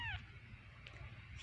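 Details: Kitten mewing: a thin, high, falling mew opens, then a second rising mew closes, over a steady low hum and quiet Vietnamese speech.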